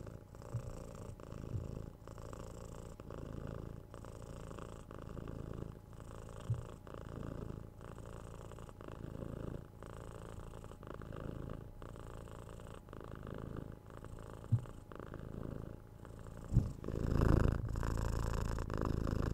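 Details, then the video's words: Pet cat purring steadily indoors, a deep low-pitched rumble pulsing with slow breaths about every one to two seconds, a few soft clicks and a louder rustle near the end. "Cute Cat Purring"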